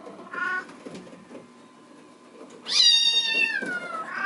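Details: A Bengal kitten in the kitten room, seeing the person outside the screen door while littermates play on the cat wheel, gives loud, bawling meows, one long and falling, wanting to be let out.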